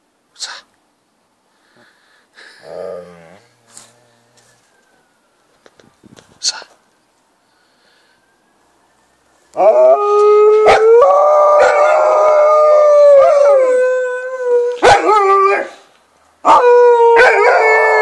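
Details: Two dogs, Nanuk and Miki, howling at a passing ambulance; after quiet murmured speech, a sustained wavering howl chorus starts midway, broken by sharp clicks and a short pause before resuming.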